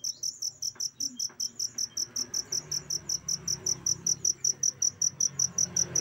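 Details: Cricket sound intended as training material for pet birds: sharp, shrill pulses, evenly spaced at about two and a half per second, with a muted low background.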